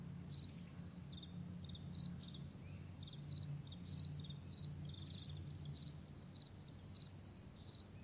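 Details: Crickets calling in a morning meadow, bright, high chirps in loose pairs and clusters, partly masked by a strong, droning low rumble running throughout.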